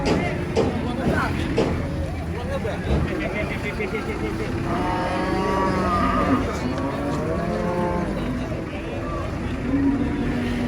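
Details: Huge cow raging as she is loaded under a reputedly haunted tree: a drawn-out harmonic moo in the middle, then a shorter lowing call, over constant rumbling background noise and human voices.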